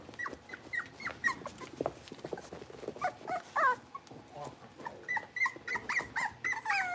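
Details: Blenheim Cavalier King Charles Spaniel puppies, a litter of five, in an indoor puppy pen: rapid overlapping high yips and bent whimpering squeals, many short calls in quick succession with soft rustling beneath.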